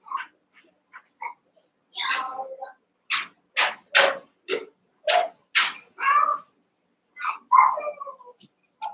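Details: Eight Cavalier King Charles Spaniel puppies wrestle and play together in a puppy pen. A quick run of high, sharp yips and short barks repeats roughly twice a second, with some drawn-out whiny notes mixed in, clear and close.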